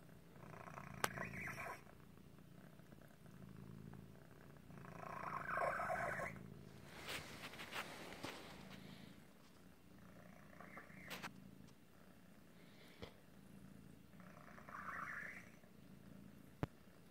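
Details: Continuous low purr from Otis, a cat with an asthma-like breathing problem caused by a deformity, broken by several wheezy, squeaking breaths, one ending in a rising whistle, plus a few sharp clicks.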